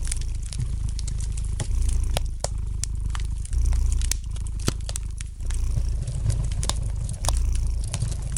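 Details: Gentle purring of a domestic cat, a deep pulsing drone rising louder on each breath cycle roughly every two seconds, while a wood fire in the fireplace snaps and crackles throughout.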